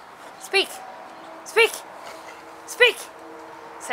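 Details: Gus, a German Wirehaired Pointer crossed with a Bracco Italiano, barking during dog training after repeated spoken commands to speak: three short, sharp barks roughly a second apart, between faint background hiss.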